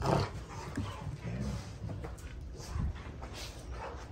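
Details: Two Rottweilers, June and Kenai, play fighting on a ranch: low rumbling growls and grumbles with brief huffing bursts, over scuffling and shuffling noise.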